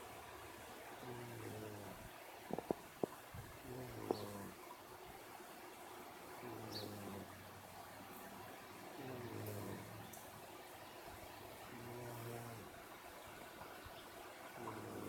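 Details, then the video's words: Sound asleep, a cat snores steadily. Low, buzzy breaths rise and fall in a slow rhythm, each about two to three seconds apart. A faint room hiss runs underneath, with a few brief clicks near the start. "Snoring puss"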